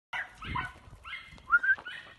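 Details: Young male Border Collie puppy, found with his sister in fields near Villarobledo, Spain, and kept at a shelter, active and playful: a short run of high, tonal whining yelps, some rising, the last pair loudest, with soft background rustle.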